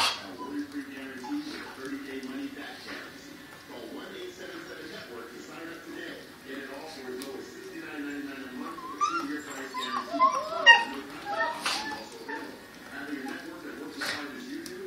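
Several dogs howl together in long, wavering, overlapping tones, with higher rising whines near the end.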